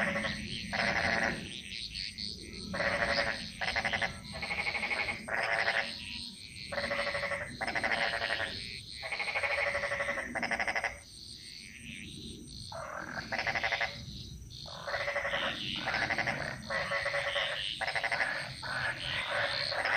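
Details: Frogs chorusing in a Bali jungle: harsh, pulsed croaks in half-second bursts, repeated rapidly and overlapping, with a steady high insect whine running beneath throughout.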